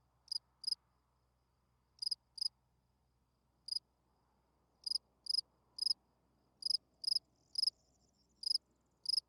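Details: Field cricket chirping at night, a calling song to draw females: sharp, shrill chirps, some in pairs, spaced irregularly and growing more frequent toward the end over a faint low hum.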